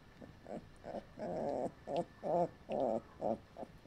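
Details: Collie puppies in their third week, litter F, make a run of short, rough, whining and yapping sounds, several longer harmonic whines among quick bursts, about two each second.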